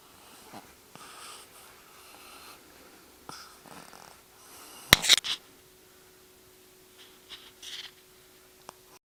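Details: Emily, a pug born in November 2008, snoring while asleep indoors: soft, breathy, rasping snores come in several irregular bursts, with a sharp loud knock midway and a faint steady hum underneath.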